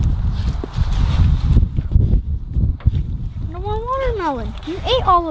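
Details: Pet Labradors eating a juicy watermelon: low wet chewing thumps, then near the end a few rising and falling whimpering whines, drawn-out and tonal, closely recorded.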